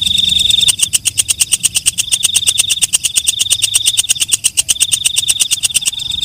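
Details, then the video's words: Shrill buzz from a night katydid (walang kecek) breaks into a long series of sharp, evenly spaced high clicks, then the sustained buzzing whine returns alongside the ticking. "Suara Walang Kecek/ Belalang Malam"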